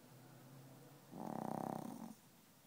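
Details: A sleeping Chihuahua that refuses to wake gives a single rattling snore, a low buzzy vibration lasting about a second.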